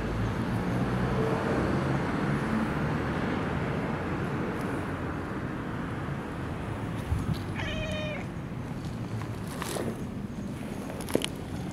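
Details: Long-haired brown tabby cat living in a park with a family of tabbies gives a single clear, harmonic meow while being stroked, over a steady low rumble of traffic and outdoor background noise.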